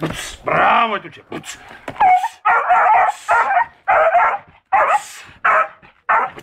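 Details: Seven-month-old beagle giving a drawn-out howling whine, then a run of harsh, loud barks and yelps in irregular bursts, about one every half second to second, with a person's voice mixed in.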